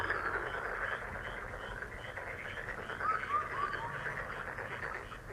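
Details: Frogs calling together in a busy mid-pitched chorus of quick pulsed croaks, about four each second, with a few clear descending chirps near the middle over a steady background hiss.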